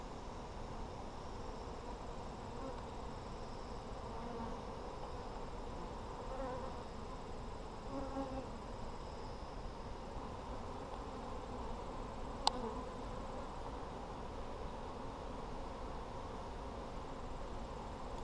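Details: Honey bees in an Apimaye hive during a July 23, 2020 inspection for brood, plenty found: a steady low droning hum from many bees throughout, with one sharp click near the middle.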